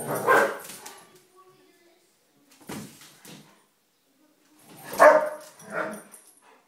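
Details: Playful spat among three German Shepherds teasing each other; a loud gruff growl-bark opens, short grumbles follow, then another harsh growling outburst and a lower rumble near the end.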